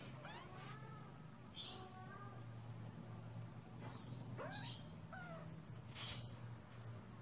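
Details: Indoor pet kittens giving thin, high mews, some bending upward and one sweeping sharply up, scattered over a few seconds against a steady low hum and light clicks.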